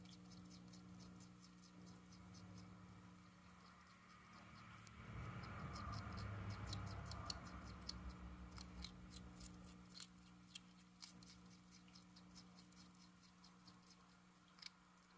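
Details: Uni, a pet hedgehog fond of cabbage, munching on cabbage leaves: a soft rustle at first, then a steady run of sharp, crisp crunching clicks, about four a second, with a low steady hum behind.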